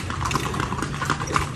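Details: Horse being ridden on a tour through Vigan, Philippines; sharp hollow clip-clop hoof strikes on pavement in quick succession over a steady low rumble of street noise.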